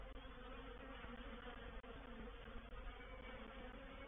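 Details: Honey bee reproductive swarm moving into a bait hive, or swarm trap, at Painted Peacock Manor on 04/07/21; dense steady hum of many bees with low drones and brief dropouts, continuous throughout.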